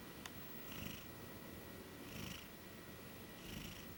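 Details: A sleeping female Maine Coon napping on a bed snores softly, a breathy rasp returning about every one and a half seconds.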